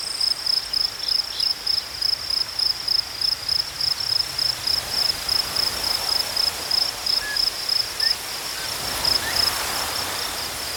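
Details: Cricket chirping in nature, a sharp high pulse repeated about three to four times per second with steady rhythm, over a faint continuous higher hum from other insects.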